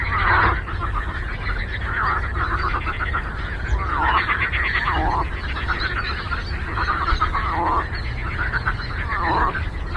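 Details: Chorus of many frogs calling together on a lake, with raspy pulsed croaks stacked over one another and swelling in bursts every second or two over a constant low background rumble.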